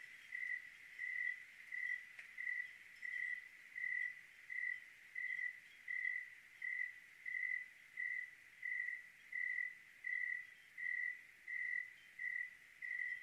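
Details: On a clear Oregon night a cricket chirps in an even rhythm, roughly eighty-six short high pulses a minute, each a bright thin trill, with faint background hiss.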